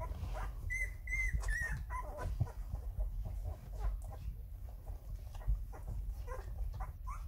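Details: Eleven-day-old Rhodesian Ridgeback puppies making first wobbly walking attempts; thin whistled whines, a few drawn-out high squeals early, then scattered short whimpers over low rustling and thumping.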